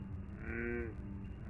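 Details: An American bullfrog, a low-frequency caller, gives its low burr call: one deep, resonant, buzzy burr lasting about half a second over a constant low background rumble.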